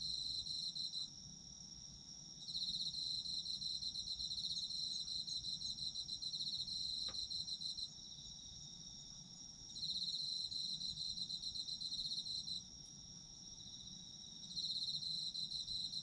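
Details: Chorus of autumn insects: continuous high ringing tone overlaid by bursts of fast pulsed trilling that start and stop every few seconds, with a single faint click near the middle and low background hum.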